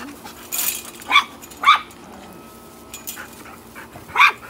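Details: Small Chihuahua yapping at larger household dogs, a husky and a boxer: a brief rustling scuffle, then three shrill barks, two close together and one after a gap of over two seconds, over a low background hum.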